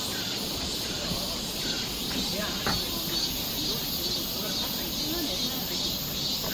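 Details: Summer forest trail in Seoul, Korea, filled with cicada song, a continuous shrill hissing buzz holding steady from start to finish, over a soft low rumble and scattered faint chirps.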